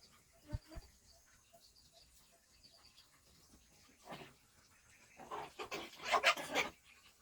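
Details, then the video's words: Shih Tzu dogs at daytime, playing and eating, give a cluster of short, sharp barks and yips near the end after an earlier brief bark, over faint steady high chirping in the background. "Shihtzu cute doggies at day time: playing, eating, barking etc."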